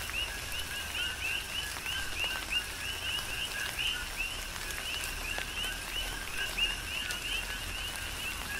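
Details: On the Big Island of Hawaii, a tropical rain shower falls while a crowd of coqui frogs keeps up a continuous chorus of two-toned chirps, the higher note sweeping upward, overlapping constantly.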